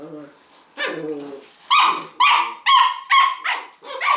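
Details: Playful six-week-old Leonberger puppies at tug of war: a whiny whimper, then a string of sharp, shrill yaps spaced about half a second apart, with a voice heard briefly.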